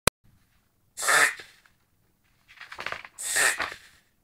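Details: Whippet sighthound reverse-sneezing indoors: three loud, harsh snorting inhalations, the first around one second in, then a rattling pair near two and a half and three and a half seconds, with a short click at the start and quiet between.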